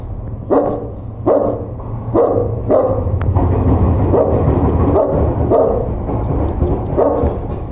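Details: A dog barking at a stranger: loud, harsh barks repeated about every 0.7 seconds, in short runs with brief gaps, over a steady low hum.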